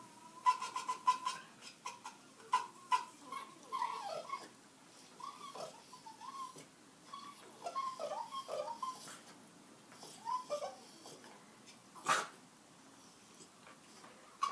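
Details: Pet dog whimpering and whining in a string of short, high, wavering cries, some bunched into rapid series, others drawn out, with brief pauses and a sharp click-like sound toward the end.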